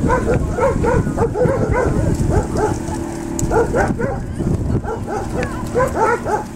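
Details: Landseer dog named Brutus during water rescue training in the Czech Republic, giving a steady run of short repeated barks, several per second, over a constant low engine-like hum from a boat.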